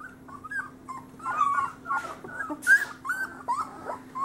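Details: Whining Great Pyrenees pups, males from the summer 2013 litter of Bella and Ranger, around three weeks old: high, drawn-out tonal whines that rise and fall, repeated in a chain, with a faint steady hum beneath.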